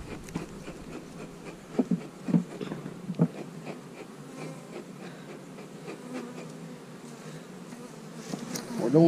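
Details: Honey bees buzzing while a beekeeper goes through hive boxes to make splits with queen cells: a steady low hum, with scattered knocks and clicks from handling the wooden frames.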